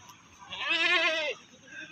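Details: Goat brought to the Pakis livestock market in Malang, giving one wavering, nasal bleat of about three-quarters of a second with a quivering tremolo, set against faint market background noise.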